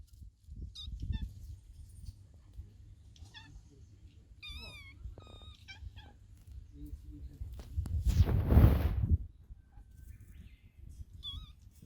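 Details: White fluffy kitten sneezing: one sharp, noisy burst near the eighth second. Several thin, high, wavering meows come earlier, over a low rumble of handling noise.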